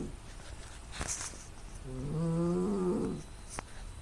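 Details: Loud snoring of a sleeping female pet cat, smartphone recording, with strong nasal noise. A single rising, wheezy snore lasting about a second follows a few faint clicks and taps.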